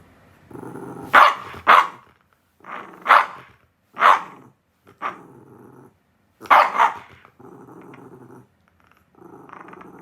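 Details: Shiba Inu, described as lonely and quarrelling with its owner: quick pairs of loud barks over a steady low growl, then a double bark and long stretches of rumbling growl to finish.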